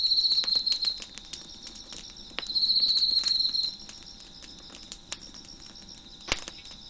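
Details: Chirping crickets on a deck with a crackling fire: a high trill opens the passage, and a second, longer shimmering burst follows after a short pause. A faint steady insect hum and sharp wood crackles continue underneath.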